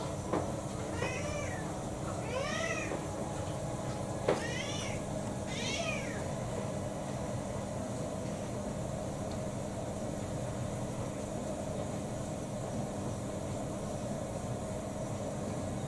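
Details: Pet cat Kou-chan, a roughly six-year-old mixed breed with pedigree papers, on strike over dinner in December 2022: four rising-falling meows in the first six seconds, then only a steady low hum.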